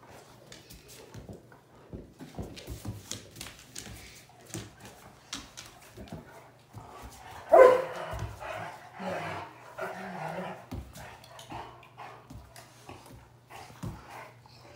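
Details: Bluetick and Black and Tan Coonhound playing indoors: scattered short barks and bow-wows, with one loud burst near the middle followed by a rough growling stretch, whimpers and voices in between.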